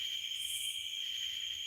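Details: Night insects outdoors on a rural property under a full moon, said to be cicadas and crickets: a continuous, steady high-pitched shrill drone with a second higher band and faint pulsing, nothing else audible.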